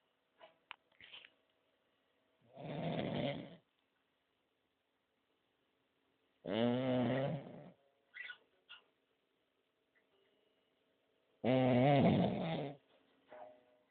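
A sleeping French bulldog snores in loud, rasping, rattling breaths about every four to five seconds.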